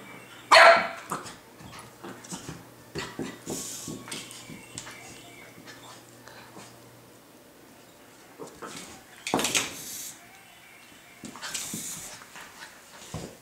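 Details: Brittany Spaniel puppy playing with a toy bug: one sharp, bright bark near the start, followed by scattered clattering and rustling bursts of play noise, with faint voices in the background.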